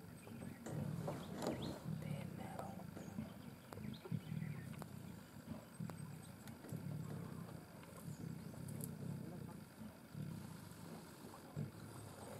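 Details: Three adult Sri Lankan leopards feeding together on a carcass in Yala National Park, Sri Lanka, growling at each other over the best feeding spot; low, throaty rumbling growls surge and fade throughout, with sharp clicks and faint higher sounds behind.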